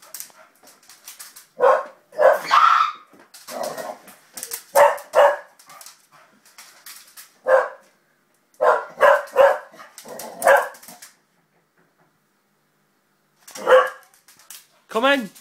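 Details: Excited springer spaniel barking during play with a child, scattered single and double barks with gaps, ending in a rising high-pitched squeal or whine.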